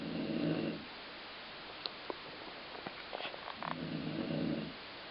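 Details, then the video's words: Sleeping pet dog snoring, described as sounding like a growling stomach: two rough, rumbling breaths, one at the start and one near the end, with faint clicks and quiet room noise between. "Colline Snoring"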